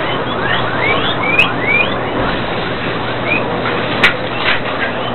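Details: At a guinea pig breeding farm in Sandoná, Nariño, scattered whistled squeals sweep up then down, a few bunched early and a couple later, with a constant background hum and occasional sharp clicks.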